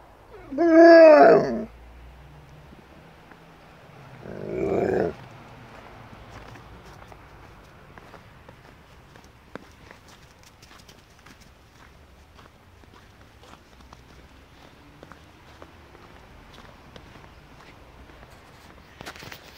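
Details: Thea, a pet Alaskan Malamute, puzzled that her owners are just standing still; a loud wavering howl-like moan near the start, a second shorter grumbling call around five seconds, then quiet with faint clicks and rustling.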